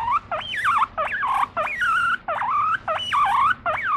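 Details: Affectionate pet guinea pig calling to its owner, voicing its feelings in a run of loud whistled wheeks, each jumping up sharply then sliding down, about six calls in four seconds with brief gaps between.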